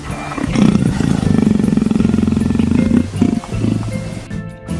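A leopard purrs in a low, steady, rattling rumble, like a house cat, with music behind it.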